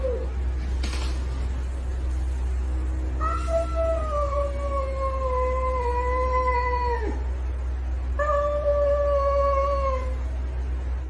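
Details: Two long, wavering yowls from a domestic cat, the first about four seconds and falling slowly in pitch, the second shorter, with steady low background hum between them.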